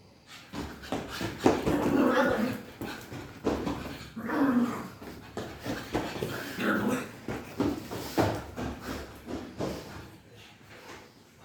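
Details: Playful pug: steady series of rough snorts, huffs and short whiny grunts, repeated roughly every half second for about ten seconds before tailing off.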